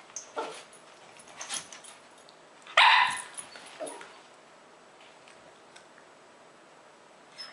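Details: Lhasa Apsos Zac and Zoe play fighting, giving one sharp loud bark-like yelp amid quieter snuffles, scuffling and a short growl before things settle.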